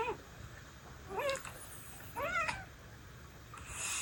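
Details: Pet cat from a five-cat rescue household responding as meows come from a smartphone; two short rising, bending meows about a second apart, each curling up in pitch, with faint rustling between them.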